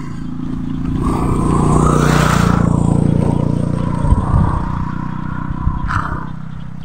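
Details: A loud motor vehicle rumbles past outdoors, its engine swelling and fading, with scraping clatter and a brief knock, and no animal voice is heard.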